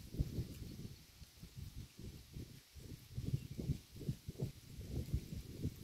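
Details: Low, thudding crunches from a cow's mouth as it grazes roadside grass at close range, regular bites repeating roughly twice a second with small pauses between.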